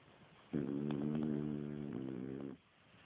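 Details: French Bulldog snoring while asleep, as someone tries to wake it: one long rasping snore of about two seconds with steady low harmonic buzz, surrounded by quiet room hush.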